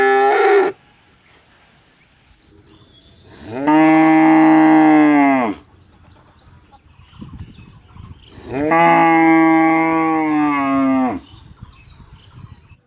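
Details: A village cow in Rosulpur, wanting to eat hay, gives two long, loud moos, each a steady harmonic bellow lasting about two seconds.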